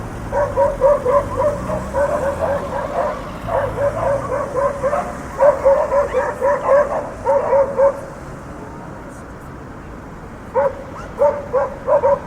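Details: City dogs bark on an urban street as cars pass, giving rapid clusters of sharp, mid-pitched barks, four or five a second, broken by pauses, with steady traffic noise underneath throughout.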